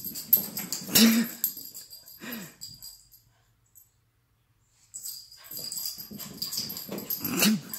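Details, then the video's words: Jug dog acting wild after a bath indoors, giving snorting, wheezy breaths and short low whining grunts in bursts, with a silent gap mid-way and rustling, shaking noises around it. "Crazy jug after bath"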